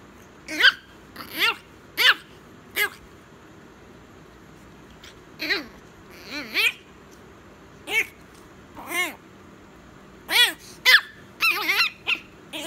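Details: Chihuahua puppy giving a string of short high squeaky yelps and whines, each rising then falling, spaced irregularly with brief gaps; quieter thin cries in between, a quick cluster of sharp yips near the end.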